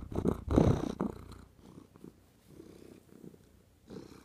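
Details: Domestic cat purring close up: a low, rough, pulsing rumble that is loudest in the first second, fades into softer rhythmic throbs, and swells again at the end.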